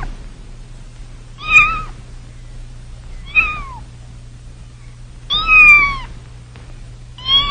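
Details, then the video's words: Kittens meowing: four high, thin mews with clear harmonic stacks, about two seconds apart, some bending downward, over a low steady hum. "Cute kittens, sounds of kittens"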